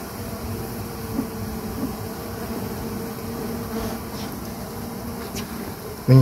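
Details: Honey bees left behind in a small hive, smoked so they organise and seek a safer home in a larger hive; a continuous low even hum with a faint higher tone, ending in a short loud knock.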